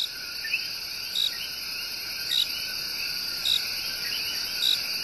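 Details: Tiny but loud coqui tree frogs sing their love song in Puerto Rico's El Yunque Rainforest: short bright chirps repeat about once a second among rising two-part notes, over a steady high insect hum.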